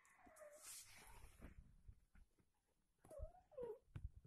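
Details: A mother British Shorthair cat nursing her newborn kittens; short, thin mewing cries rise and fall, with quiet human voices.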